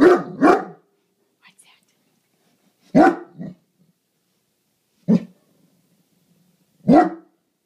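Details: Lilly, a Great Dane, barking as a watchdog guarding the house against a garbage can: deep, loud barks in short bursts, a quick double bark first, then single or paired barks roughly every two seconds, with quiet gaps between.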